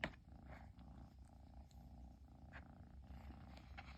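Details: Persian kitten purring nonstop after its owner finally came home; a steady, low, rapidly pulsing rumble runs throughout, with faint rustles and small clicks on top.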